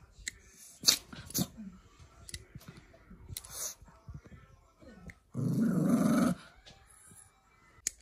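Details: Dog during nail trimming practice: scattered sharp clicks, then a rough, noisy growl lasting about one second, followed by quieter clicking and faint movement sounds.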